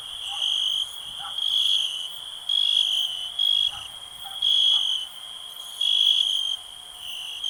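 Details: A shrill, steady cricket trill swells into louder bursts lasting under a second, spaced about a second apart, with a few faint low short calls and slight rustling beneath.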